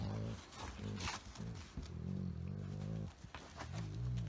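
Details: Golden Retriever muttering strange dog-speak while playfully wrestling a Chihuahua–Shih Tzu mix indoors: a near-continuous run of low, wavering growl-moans with changing pitch, broken by a short pause and soft clicks of movement.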